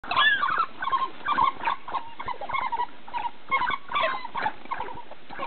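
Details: African wild dog pack feeding on a fresh kudu kill give bursts of high twittering, squeaky chatter and yelps in a busy group.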